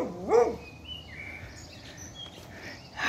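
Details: Bailey, a male Beagle, wanting to play with his heavily pregnant mate Rexa, gives one short rising-and-falling yelp, followed by near silence and faint household sounds.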